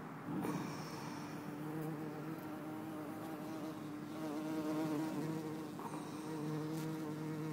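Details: A bumblebee, possibly Bombus hortorum or Bombus terrestris (uncertain), in Lisbon on 4 December 2011 gives a low, steady buzz with a slight wavering drone.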